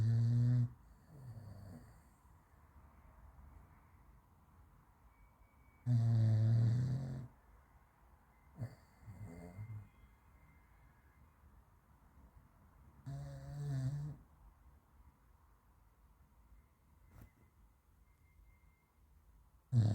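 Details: Raf, a French Bulldog, snores and runs in his sleep. Deep, rumbling snores come in long bursts roughly every six to seven seconds, with fainter snuffling breaths between them.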